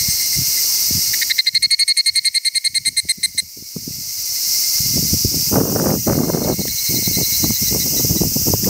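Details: Higurashi cicada giving a rapid run of about twenty bright, ringing pulses lasting some two seconds, over a steady high insect drone, then low rumbling and rustling noise.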